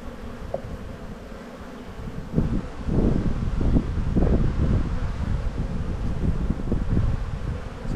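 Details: Honey bee colony hum during a spring hive inspection near emerging brood; a low, continuous drone that starts quieter, then rises in loudness, broken by thumps and rustles from frames being lifted.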